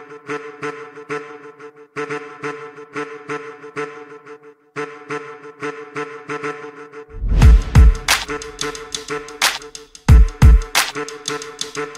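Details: Instrumental music with flute-like melody and repeated notes, joined after a few seconds by heavy bass drum hits and crashes, with no animal voice heard.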